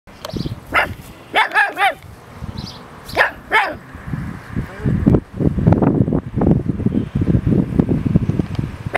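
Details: Newton, a pug, barks at a sheep at One Tree Hill, New Zealand, in a run of sharp, high, yappy barks, some in quick pairs and triples.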